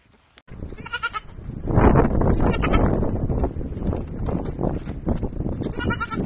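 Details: Baby goats playing and jumping around; short nasal bleats with stacked harmonics near one second and again toward the end, amid loud low rumbling and handling noise.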